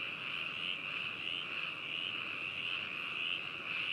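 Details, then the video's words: A dense frog chorus, a steady high-pitched trilling drone from many callers, binaural recording in Hakushu, Hokuto, Yamanashi, Japan, on 4 May 2018. "自然音 - 白州 - カエルの鳴き声01（バイノーラル録音）"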